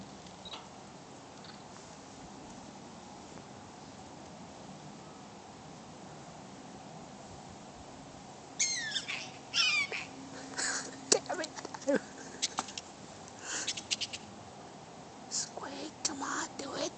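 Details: Prairie dogs at a zoo popping up, with sharp high squeaky chirps starting about halfway in, several callers in quick bursts over a quiet background hum.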